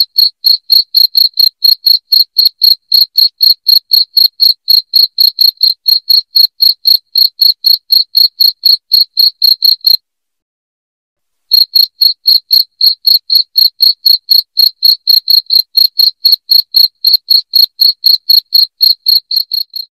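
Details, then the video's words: Cricket sound used as a rat repellent indoors: a piercing, rapid train of identical chirps, about four each second, interrupted by a single silent gap near the ten-second mark. "SUARA JANGKRIK NYARING PENGUSIR TIKUS"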